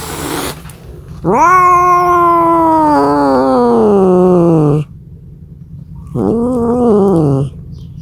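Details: Cat crying out for a mate, two drawn-out yowls: the first about three and a half seconds long, sliding slowly downward with a slight wobble midway; after a pause, a shorter arched wail of just over a second.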